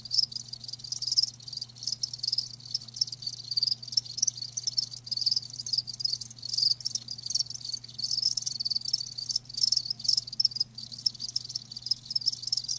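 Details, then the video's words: Live crickets chirping in a continuous high, shrill stream of rapid pulses, bursts rising and falling without pause, with a faint steady low hum underneath. "Live Crickets 60min "Natural Sound""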